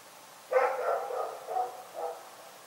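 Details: A dog barking at night: one sharp bark, then a drawn-out, wavering bark and two shorter falling yelps, all within about a second and a half, over a steady low background hum.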